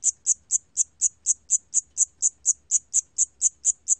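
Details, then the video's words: Cricket (샴귀뚜라미) recorded for the National Institute of Biological Resources in 2020, giving a steady series of shrill, clicking chirps roughly four per second, sixteen in all, with no other sounds. "샴귀뚜라미, 여러번 듣기, 곤충소리"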